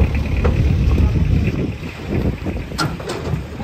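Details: Low engine rumble and wind buffeting the microphone, with a few faint clicks and no animal calls.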